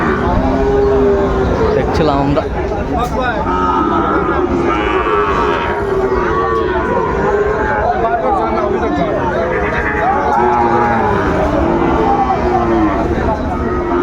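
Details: Sahiwal bull calves at a busy cattle market on 20 June 2024, giving drawn-out, wavering moos now and then over steady crowd chatter and close men's speech.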